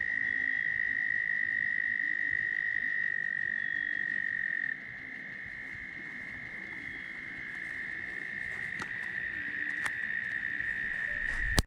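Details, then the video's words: Very loud tree frog chorus at Steusser Lake, Michigan, recorded on a stop during a long motorcycle ride: a sustained high-pitched trill that softens midway, then builds again, with a few sharp clicks and a final knock. "Michigan with tree frogs singing"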